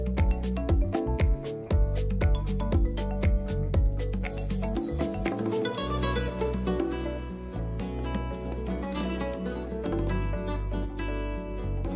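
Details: Plucked string music with a quick, regular rhythm and a low bass line; no animal sound is heard.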